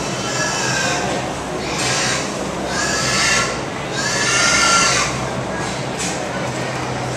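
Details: Pigs at the Minnesota State Fair in 2017, described as crying like babies, give loud, harsh squeals in three swelling bursts of about a second each over a steady barn hum, with people talking softly nearby.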